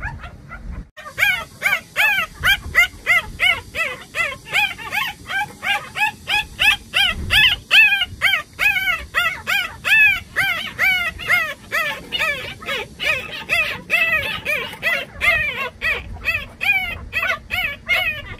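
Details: Jindo puppies, litter brothers, whine and yip in a steady stream of high, arching cries.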